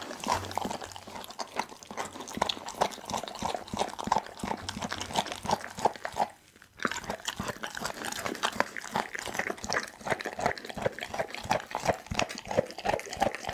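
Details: Doggy, a pit bull, eats a whole raw chicken indoors, filmed on an Insta360 ONE R camera: dense, rapid wet crunching and bone-cracking bites, about three per second, with a brief pause near the middle.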